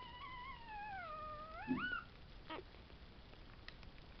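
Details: Tibetan Terriers from a litter born 11 July 2012, heard with Tingsha bells: one long, wavering howl that slides down, then sweeps upward and breaks off, followed by a short falling squeal and a few faint clicks.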